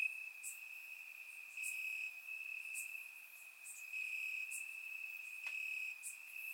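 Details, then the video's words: Crickets chirping in grass on a warm summer night in Bulgaria, recorded with a surround microphone: a steady high-pitched continuous trill with gently swelling loudness, plus faint brief high ticks scattered through. "Cricket Sounds - Crickets Chirping at Night"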